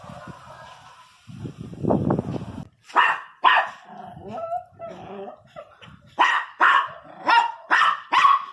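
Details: Miniature Pinscher barking angrily, a series of sharp, harsh barks after a low rumbling start, grouped in bursts of two or three and rising in pace toward the end.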